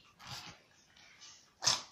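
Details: Pet dog sneezing indoors, one sharp, hissing, explosive burst near the end, after softer snorting breaths. A woman speaks Russian around it.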